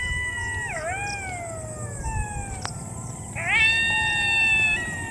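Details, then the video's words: Jackals wail in the distance at dusk in Nadia, Bengal, in two quavering bouts of several overlapping voices that dip then hold high, over a low rumble and one sharp click; weather turning, light drizzle, clouds gathering. "দূরে শিয়াল আছে। শিয়াল ডাকছে। তো"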